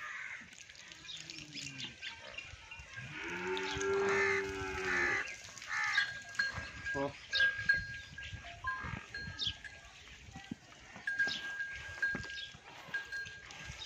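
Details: Nili-Ravi buffalo at a sale in Punjab, Pakistan, 3/8/2022: one drawn-out nasal moo rising and falling over about two seconds, surrounded by ringing bells, knocks and general farmyard bustle.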